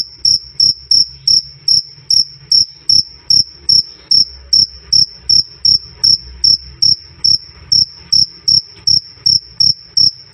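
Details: Cricket, black jliteng or field cricket, used as training sound for songbirds; loud, clear chirps repeated about two to three times a second, each a short high ringing pulse with a faint higher overtone, steady and regular.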